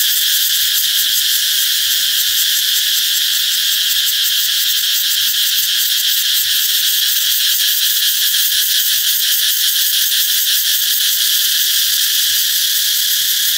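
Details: Cicada song heralding the coming of summer: an unbroken, intense buzzy chorus filling the high register, holding a constant loudness with faint pulsing texture over the whole stretch.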